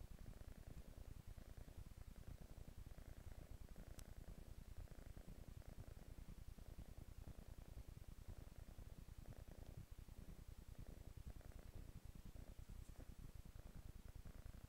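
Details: Couch kitten purring steadily, a deep rhythmic flutter of quick low pulses sustained throughout, with a faint breathy overtone and one tiny click around four seconds in.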